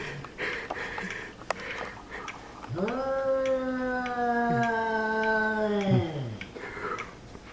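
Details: Indoor cat, mad at a kitten, gives a single sustained yowl lasting about three seconds, rising sharply at the start, then a level, throaty, wailing tone that breaks and drops at the end; faint soft rustles before and after.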